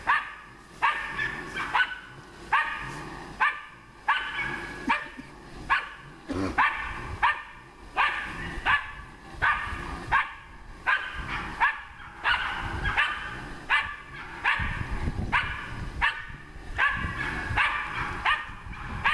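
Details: Dog working a wild boar barks persistently, about eighty loud, clear barks a minute in an uneven rhythm, each a short harmonic yelp, with brief quiet gaps between them.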